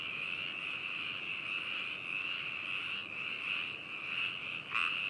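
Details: A dense frog chorus in Hakushu, Hokuto, Yamanashi, Japan, recorded binaurally on 4 May 2018: steady, high trilling calls overlapping into a continuous shimmering drone. Frog.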